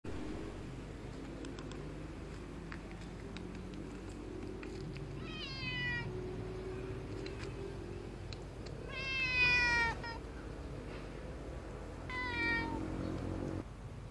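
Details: Street cat of an unusual breed, possibly with a cold or phlegm, seeming sad or unwell while being fed; three hoarse, harmonic meows near 5, 9 and 12 seconds, the middle one loudest, with faint clicks and low background rumble.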